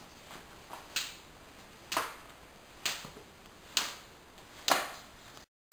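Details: Sharp snapping clicks sound about once a second in a small quiet room, with no animal voice heard.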